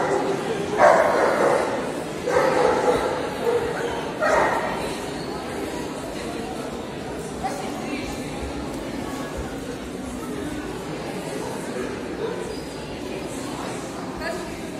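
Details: At an indoor CACIB dog show in Odessa, Ukraine, 13 February 2022, a Hungarian Vizsla gives three loud, abrupt barks roughly two seconds apart. Steady crowd chatter and voices in a hall follow.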